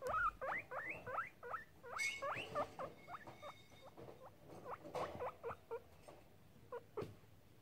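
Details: Pet guinea pig checking out the camera, giving a quick run of short, sharp squeaks that sweep up and down, about three or four per second, in uneven bursts before trailing off into a few scattered chirps.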